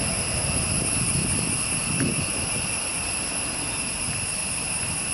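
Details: Insects droning in a forest, a steady shrill buzz held in several high even bands without a break, over a low rumbling background.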